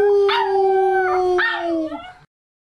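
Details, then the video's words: An American Cocker Spaniel puppy, nearly 11 weeks old, howling on cue for the first time: a long steady tonal howl, held level then dropping slightly at the end, with two brief rising yelps breaking in partway through. "Pippin Howls!"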